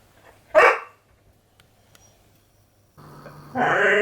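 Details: A female Border Collie, born November 2014, gives a single sharp, loud bark early in the morning at a travel lodging, waking its owners to be let out for a walk and play.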